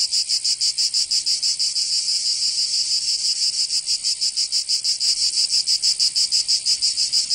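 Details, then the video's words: Provençal cicadas in summer, southern France, producing a shrill continuous buzz broken into fast rhythmic throbs, about three per second, loud and unbroken throughout. "Canto Cigarra 🦗 [ Escuchar les cigarras en verano 10 H]"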